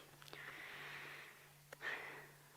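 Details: Impala (Aepyceros melampus) on a sunset safari drive, 1 March 2017, give harsh, breathy alarm snorts, two rasping bursts over a low steady hum, as the herd alarm-calls at a female waterbuck that had chased them.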